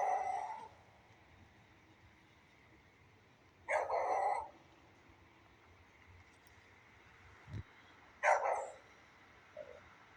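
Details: In the rain, a beagle gives a few widely spaced harsh barks with long pauses between them, plus a faint low thump, over steady rain noise.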